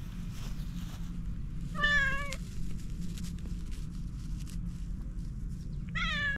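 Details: Domestic cat giving two clear meows about four seconds apart, each a short, harmonic-rich cry that rises slightly then levels off, over a constant low indoor hum.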